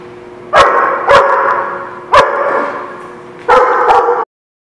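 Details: Dog barks recorded 6/2/17: four to five forceful, ringing barks in two short pairs and a closing double, with a low steady hum between them.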